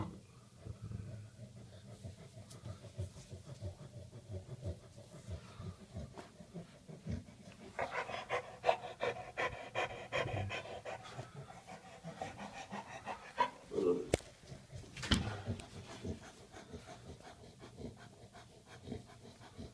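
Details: A bulldog with hives from an allergic reaction to a bee sting pants rapidly and raggedly, with breathy puffs about three per second, against low background noise.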